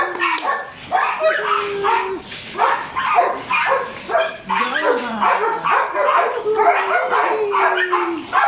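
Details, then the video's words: Border Collie puppy Speedy, three months old, in drive-building play gives choppy yips and barks interleaved with drawn-out whining tones that slide up and down. "Border Collie 3 months old puppy building drive"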